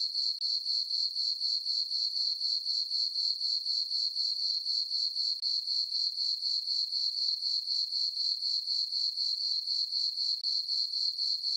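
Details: A meadow on the farm at night under a full moon and dark skies, with crickets giving an unbroken, piercing high trill. The regular throbbing runs at about four pulses per second, and no other sounds are heard.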